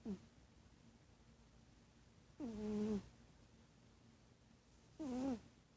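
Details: Sleeping cat snoring: three nasal, tonal snores with a steady pitch, each lasting about half a second and spaced roughly two and a half seconds apart, over a quiet background hiss.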